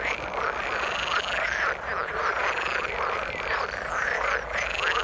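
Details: Frogs in the water form a continuous chorus of churring croaks, with repeated rising, whistle-like trills standing out above the steady mass of calls.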